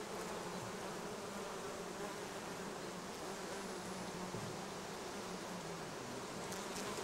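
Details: Many bees working acacia blossoms and other plants along the Sun Highway, Cernavodă–Medgidia; an even, continuous buzzing drone that holds steady throughout, with no other sounds standing out.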